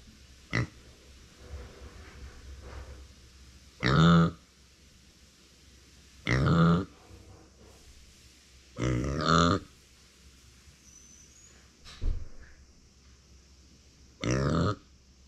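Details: Female micro pig named Uni, born September 2020 and kept as a family pet, calling when no one is nearby: short harmonic grunts in separate bursts every two to three seconds, with fainter low snorts between them.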